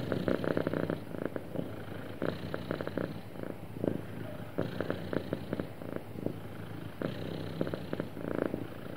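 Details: A happy domestic cat purring smoothly, a low rumbling purr that swells in bursts roughly every one to two seconds with each breath, steady and continuous, in a quiet indoor setting.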